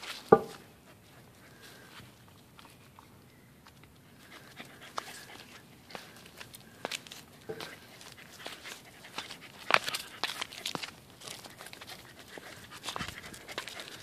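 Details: A corgi sniffs flowers on Easter Sunday in quick, soft, breathy bursts, with short pauses between runs of snuffling.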